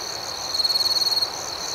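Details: A close cricket at night gives a loud, rapidly pulsed trill lasting under a second, its beats swelling and fading, set against a steady high-pitched chorus of other crickets.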